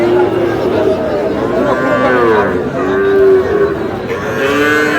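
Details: Small bull calves at a livestock market in Kushtia, Bangladesh, on 23 June, bought by a farmer: several drawn-out, low moos rising then falling, spaced about a second apart, over steady crowd chatter and bargaining voices.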